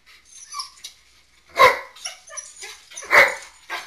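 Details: Indoors, soaking-wet snow dogs let in from the back door give two sharp, loud barks about one and a half seconds apart. Softer whiny vocal sounds come between them.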